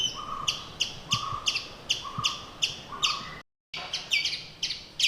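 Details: Alarm chips from a tiny forest squirrel reacting to a hotel cat in Kumily, India, with a second squirrel also sounding off. Quick, bright chick notes repeat steadily, mixed with lower drawn-out tones, then a short silent gap.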